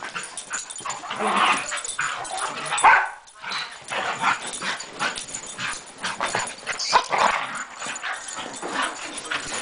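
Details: Moe and Porter, two dogs playing on a Sunday morning, make a dense, rough, continuous rumble of growls and scuffling noise, swelling and fading without clear pauses, with a short sharp yelp near the three-second mark.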